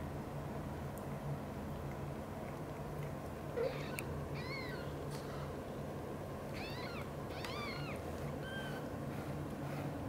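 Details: Mother cat Xaxa, a blue golden British shorthair, caring for three kittens indoors. A series of four or five short, high, bending meows scattered across the latter half, with a soft knock and a constant low background hum.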